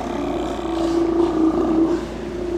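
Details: Colony of Steller sea lions on Mitlenatch Island, October 8, 2012, with big males and challengers nearby: a continuous moaning roar with wavering tone, strongest mid-clip, over constant low motor drone.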